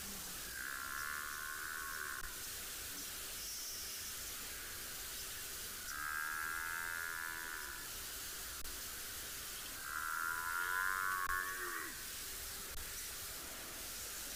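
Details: A large African buffalo herd on a chilly morning safari in a South African game reserve, 10 July 2021, bellows in drawn-out, moaning, complaining calls, possibly calves not getting milk, over a steady hum.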